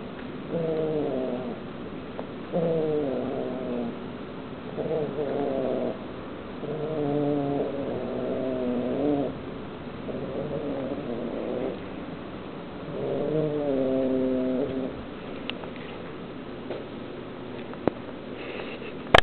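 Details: Kitten bothered while eating meat gives a run of short moaning growl-yowls, roughly one every two seconds, about eight in all, followed by quieter chewing and a sharp clatter at the end.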